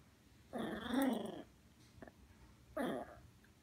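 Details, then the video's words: Angry female poodle, just woken, indoors and throwing a tantrum: two low, harsh growling snarls about two seconds apart, the first longer and rougher, over a quiet room hiss. "Poodle throwing a tantrum"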